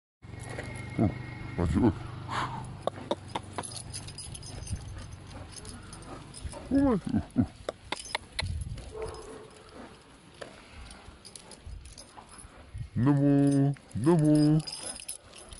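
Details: Boxer dog greeting a friend after one month apart: two loud, drawn-out, harmonic moaning vocalizations near the end, earlier short yelps and rustling, with people talking in between.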